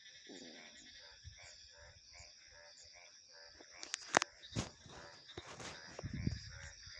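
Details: Frogs croak in a regular pulsing rhythm for the first seconds, then loud clicks and knocks partly cover them, all over a steady high-pitched insect and cricket hum.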